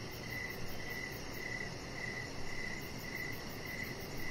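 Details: Evening crickets outdoors beside a deck: quick, bright chirps repeat at an even pace, roughly two each second, with a faint shimmering trill above them and a muffled low hum underneath.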